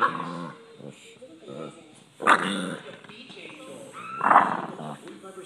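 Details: A male Boston Terrier, irritated at being touched and sat on while relaxing, lets out harsh, strange guttural growls in short bursts.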